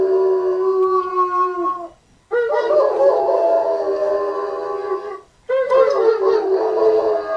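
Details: Two German Shepherd dogs in Brownsville, Texas, about a mile from a hospital, howl in long, sustained, mid-pitched bouts in the evening around nine, set off by a passing ambulance siren.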